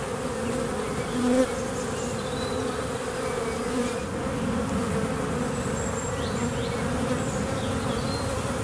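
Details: Western honey bee swarm clustered in a tree, 9 May 2023, during rehoming into a skep, bees raising their abdomens to signal the colony: continuous thick buzzing hum, with occasional individual bees whining past.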